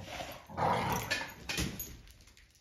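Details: Great Dane letting out a short, loud, moaning bark-like vocalization that swells, then fades within about two seconds indoors, over a faint constant high hiss.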